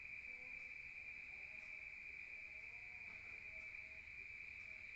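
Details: Night chorus of crickets in a rural setting: a single continuous, piercing trill at an even pitch with no pauses, and only faint, soft background hiss beneath it.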